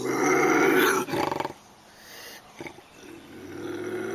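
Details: A North American lynx gives a loud, harsh, throaty yowl that breaks into a short stuttering growl.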